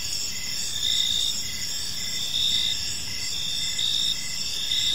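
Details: Crickets in a quiet park at evening give a constant high trill with regular short pulses, occasional louder swells every second or two, soft ambient rumble underneath.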